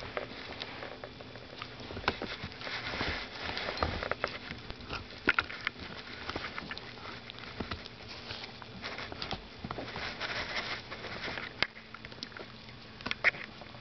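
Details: Dachshund bitch gnawing her new rawhide bone over the Christmas season: continuous rapid crackling and clicking bites, uneven in rhythm, with a few louder snaps scattered through.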